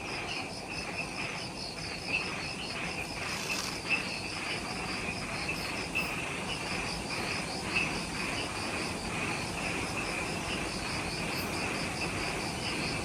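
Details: Jungle insects at twilight on Ishigaki Island, Okinawa, Japan, just after sunset: high pulsed trills beating steadily, a few brief brighter chirps, over a broader rumbling ambient background.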